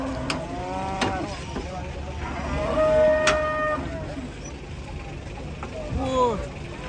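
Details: Jumbo cow, once weighing one ton, at a market after recovering from foot-and-mouth disease; a drawn-out harmonic moo holding a steady tone, then a second, longer moo, with crowd noise and voices around it.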